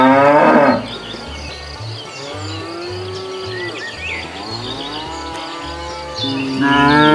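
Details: Cows wandering leisurely along a road looking for food; a loud, harsh moo opens and another closes, with softer drawn-out lowing between, over steady rhythmic background music.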